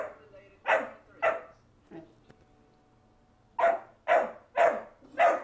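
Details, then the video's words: Indoors, a Doberman keeps a bone away from a fostered pit/boxer/lab mix puppy who chases him around the house. Loud, short barks come in two bursts, two barks then four, with a brief quiet whimper and faint human voices between. "Doberman keeping bone away from puppy"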